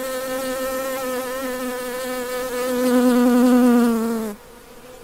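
A honey bee's steady, low droning buzz that swells louder, dips slightly in pitch, then cuts off.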